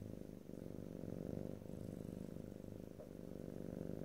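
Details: Cat purring close to the microphone, even low vibrating rumble in gentle breath cycles, a tiny tick near the end, recorded in stereo with no voices.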